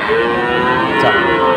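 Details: Sahiwal bull calves bought by farmers from various regions on 5 October; a steady, drawn-out low moo with stacked harmonics holds for over a second amid a continuous hum of crowd and engine noise.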